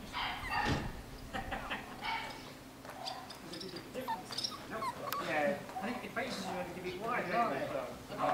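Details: A new litter of Miniature Schnauzer puppies at a breeder: high, wavering squeaks and whimpers that overlap, with faint human voices.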